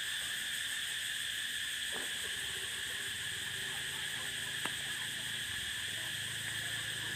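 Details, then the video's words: Continuous shrill cicada drone on the prairie, even and unvarying, with two brief clicks and a faint low hum rising in the second half beneath the insect buzz. "Explore the prairie sound of cicada"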